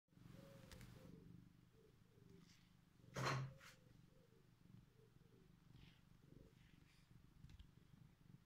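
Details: Sleepy domestic cat just woken up, purring indoors: a steady low rumbling purr throughout, with a brief louder thump or rustle near the middle.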